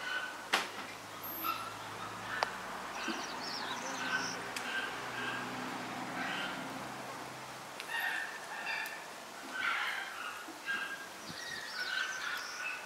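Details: A male Toy Poodle puppy, born May 19, gives short, high squeaky whimpers and yips over a low background hum.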